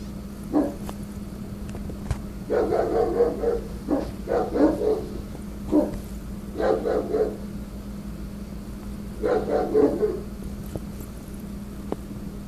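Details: Guarding Rottweiler barking angrily at construction workers trimming branches off telephone wires: repeated volleys of gruff, deep barks, three to six per burst, spaced by short pauses, against a constant low hum.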